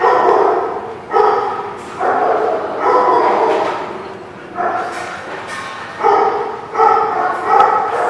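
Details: Dog barking repeatedly, about eight loud harmonic barks coming roughly once a second, some in quick doubled bursts, with a faint background hiss between them.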